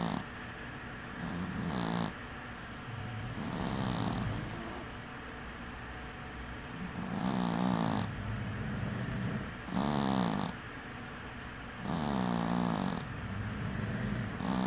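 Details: Cat snoring while sleeping with one eye open: low, buzzy, rattling snores in regular breaths roughly every two to three seconds over steady background hum.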